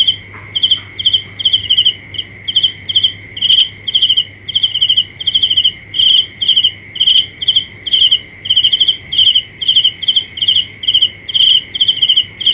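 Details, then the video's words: A cricket gives a long run of bright, rapid, pulsed chirps about twice per second with slightly uneven spacing, a steady shrill tone ringing underneath throughout. "The best sounds of Cricket 《 Suab Kab Ciliv Quaj Zoo Heev》 ( ສຽງແມງຈີ່ນາຍຮ້ອງດີໆ )"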